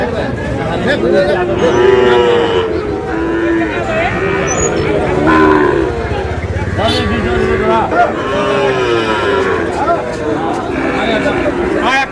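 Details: Sahiwal cattle at a cattle market where Barishal farmers buy bulls and heifer calves, 19 August: several drawn-out, harmonic moos with wavering pitch, overlapping steady crowd chatter and men talking throughout.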